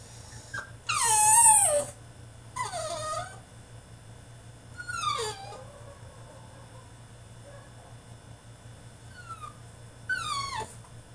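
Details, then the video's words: French Bulldog protesting in his cage with high, descending whines and yelps, one loud drawn-out cry near the start, then quieter falling whimpers spaced several seconds apart above a low hum. "FRENCH BULLDOG THROWS TANTRUM IN HIS CAGE!!"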